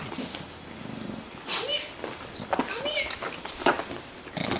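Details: Four-week-old pug puppies, one of four in a litter indoors, give short high whimpering squeaks that arc upward and then fall, a few in quick succession, while a person talks softly nearby.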